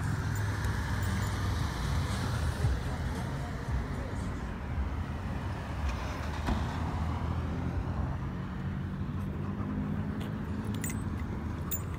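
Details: Steady low traffic rumble from passing vehicles on a roadway, with faint voices mixed in, heard outdoors in a public place.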